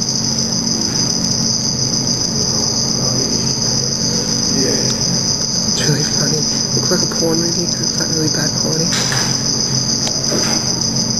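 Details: Teleogryllus oceanicus, the black field cricket, recorded at a mating and aggression encounter under red light: an unbroken, very high buzzing trill dominates, backed by a low hum and some faint clicks and rustles.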